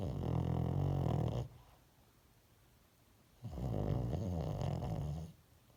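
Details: Two deep, rattling snores from a dog fast asleep, each drawn out for nearly two seconds with a low vibrating buzz, separated by about two seconds of soft silence.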